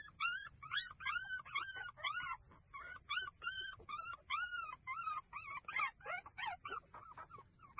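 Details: Several breastfeeding puppies keep up a dense chorus of squeaky, arching whimpers. The cries come in quick succession, rising and dipping in pitch, with almost no pause between them.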